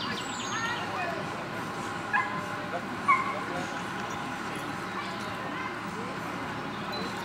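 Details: Beagle during the free walk of an obedience contest, giving a couple of short, sharp barks or yips about a second apart, set against continuous human speech and a steady background hum.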